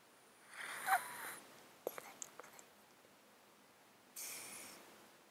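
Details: Domestic male cat asleep in a box, recorded on a close-up mic, with snotty, congested breathing from an underlying disease he has had for 13 years; two drawn-out wheezy breaths framed by soft clicking snuffles between them.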